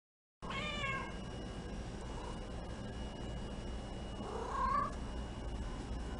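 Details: Female Domestic Shorthair shelter cat awaiting adoption, a big, shy girl living among many roommate cats; two meows, the first short and falling, the second longer and wavering about four seconds later, over a steady electrical hum.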